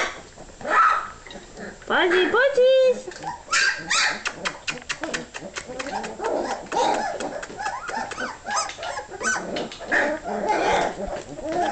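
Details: Several hungry puppies just before feeding, whining and yelping; one clear drawn-out whimper stands out early, followed by dense overlapping squeals and short barks, with a person speaking briefly.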